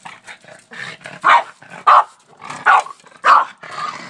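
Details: Boston Terrier named Oreo barking at a shovel, something he does every day; four loud, sharp barks spaced roughly half a second to a second apart, with softer huffs and quiet gaps between them.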